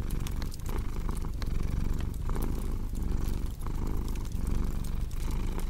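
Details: Purring cat with a deep, throbbing rumble that pulses with each breath, set against crackling fireplace sounds in a calm sleep-and-relaxation mix.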